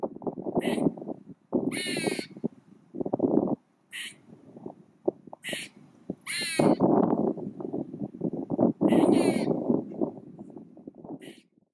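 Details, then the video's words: Very vocal squirrel, its tail shaking as if to emphasise certain utterances, gives harsh, raspy chattering bursts in rapid irregular runs, with brief pauses between volleys. "Very Vocal Squirrel"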